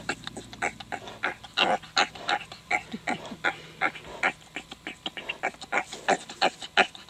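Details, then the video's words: Tamworth sow on a ranch, giving birth to five Tamworth-Duroc piglets on October 5, 2010. Short, rough, grunting pulses come in a fast, uneven rhythm of about three per second, with a faint low hum underneath. "Tamworth Pig Farrowing"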